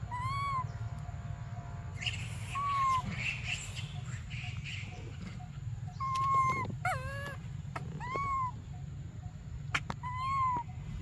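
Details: Crying for milk, baby monkey Briar gives a run of arched, tonal wails, some short and some sharply descending, spaced irregularly, with a burst of broadband rustling early on and constant low rumble.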